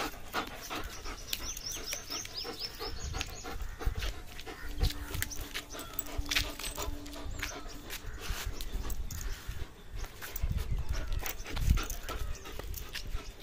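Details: Playing German Shepherd tugging at a rope, giving rough, rapid panting and low huffing breaths in repeated bursts; thin high bird chirps sound early on, plus a brief steady hum in the middle.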